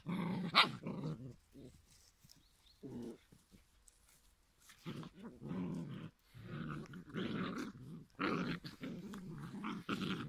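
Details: Rumbling, gravelly growls from a litter of giant schnauzer puppies aged five weeks come in uneven bursts with brief pauses, sometimes rising into a higher snarl, indoors.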